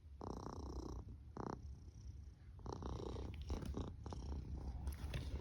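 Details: Sleeping pet cat snoring indoors: low, rough rumbling breaths in separate bursts, each lasting about half a second to a second, with quiet gaps between them and a soft hiss across the upper range.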